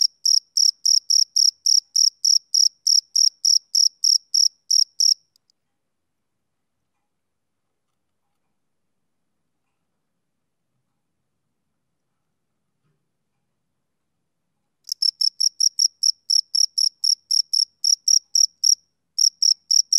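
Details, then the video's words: Male cricket chirping on a summer evening: high, pure pulses repeated about three times a second for five seconds, then ten seconds of silence before the steady chirping returns near the end. "Cricket Chirping Sound Effect"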